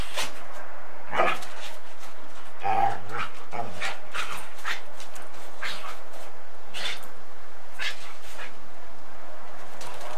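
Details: Golden Retriever and Samoyed running after each other in bitey-face play, 8mm tape recording: irregular short growls and a drawn-out whiny growl near the start, then fainter scattered bursts amid hiss.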